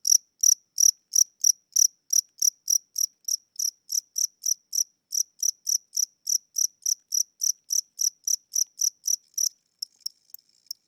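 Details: House cricket at night, said to be old and tired with weak wings, gives evenly spaced high chirps roughly three to four a second, then fades into faint, broken ticks for the final second.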